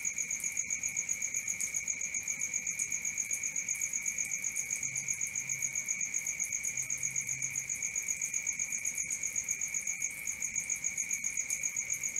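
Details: Crickets calling at night in fast, evenly spaced pulses forming an unbroken high-pitched ringing trill, with a few faint clicks and a quiet low hum in places.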